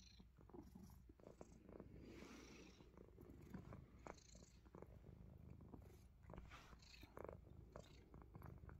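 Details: Low purr from a Himalayan Persian cat biting fingers, partly masked by frequent clicks, scratchy chewing and rustling bursts that punctuate the steady rumble.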